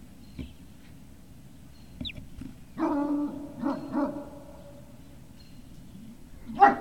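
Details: Great Dane puppies recorded on 18 November 2018: after two seconds of near quiet comes a brief high squeak, then a cluster of short, harmonic whining yelps around the middle, and one sharper yelp right at the end.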